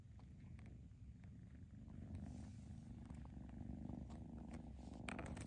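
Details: Steady low purring from foster kittens handled indoors to help them find homes, the throbbing rumble swelling slightly louder midway, with scattered soft ticks and rustling.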